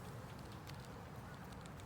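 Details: Honey bee colony buzzing during an inspection of a 10-frame deep hive with a honey super; a steady, low droning hum of many bees fills the short stretch, with faint scattered clicks above.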